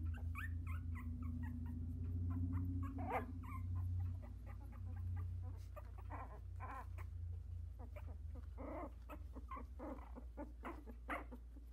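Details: Sixteen-day-old Havanese puppies, four brothers, one trying to climb out of the whelping box. Busy chorus of thin squeaks and short whines, bursts of rising cries around three and nine seconds, over a persistent low hum.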